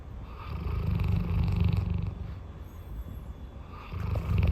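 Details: Large dog napping and snoring: deep, continuous rumbling low in pitch, swelling and fading in long rough breaths, with a brief lull just before the four-second mark.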